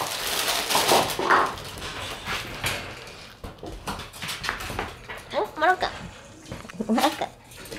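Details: Red Shiba Inu male puppy born 14 September, usually timid but acting bold, gives strange short wavering whiny yelps, two bursts near the end, after rustling and handling noises indoors.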